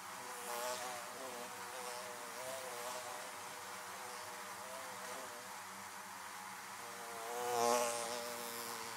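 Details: Beehives surrounded by buzzing bees: an even, humming drone of many insects with shifting overtones, one bee passing loudly close by near the end.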